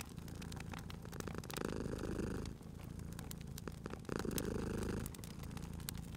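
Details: Sleeping cat by a crackling fireplace in a cozy spring setting, purring steadily in low rumbling waves that swell roughly every two and a half seconds, while sharp pops and snaps of burning wood crackle throughout.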